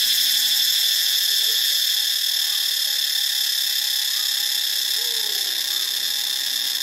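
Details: Ubon Ratchathani, Thailand: cicadas sustain a piercing, hissing high drone without pause, while a few faint, brief lower chirps from other animals come and go.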